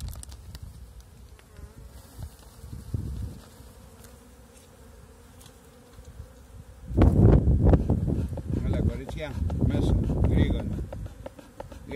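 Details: Honey bees of a first bee colony: a low, steady humming buzz runs quietly through the opening seconds, then swells into a loud, dense drone from about seven seconds onward, with a few faint knocks.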